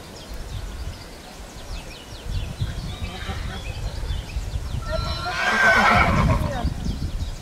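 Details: Young colt at a foal presentation. A short, shrill whinny rises out of crowd murmur and rustling near the end, with trampling and low rumbling noise throughout.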